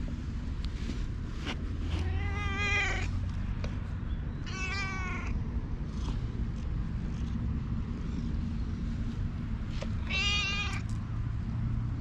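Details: Stray community cat in a park meowing three times, each call a drawn-out, wavering mew with rich harmonics, spaced a few seconds apart over a steady low outdoor rumble.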